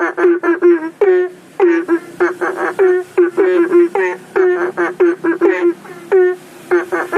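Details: Frog chorus, belentung, from a home aviary and fish pond beside a public road at night, said to call for rain: bursts of clustered short rising croaks, roughly two clusters per second, frogs answering each other.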